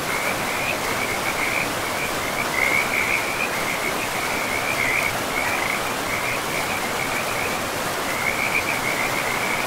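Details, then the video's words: Forest river frogs keep up repeated short trilling bursts through most of the stretch, pausing briefly near the end before resuming, set against a continuous rushing-water background. "River and Frogs sleep sounds"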